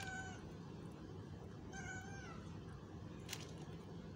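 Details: Cat asking for food, giving two drawn-out harmonic meows, the second slightly longer and falling at the end, over a steady low rumble of background noise with a brief sharp click near the end.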